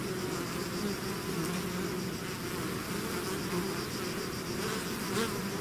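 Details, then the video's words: Steady roar of a bee swarm leaving its hive: layered droning buzz, wavering low hums rising and falling as individual bees pass close, constant loudness throughout. "bees therapy swarm natural buzzing sound"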